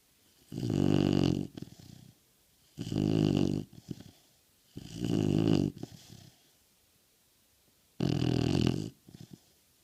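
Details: An American Bulldog snoring steadily indoors: four loud, rough, rumbling snores about every two to three seconds, each trailed by softer sputtering exhales.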